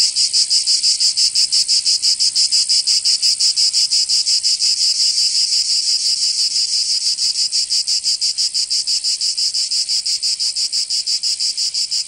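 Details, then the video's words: Cicadas singing in summer in Provence, southern France: a loud, dense, buzzy chorus held steadily high, pulsing in rapid regular beats about three per second without pause, with nothing else audible. "Canto Cigarra 🦗 [ Escuchar les cigarras en verano 10 H]"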